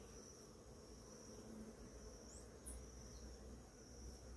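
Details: Many bees on flowering ora-pro-nóbis in the morning give a low, continuous buzzing hum that rises and falls gently, with a thin high whine, probably another insect, in the background.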